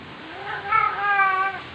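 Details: Female black house cat in heat yowling indoors on 23 September 2020, afternoon: a long, strained, wavering meow that swells and holds for over a second, over a faint room hiss.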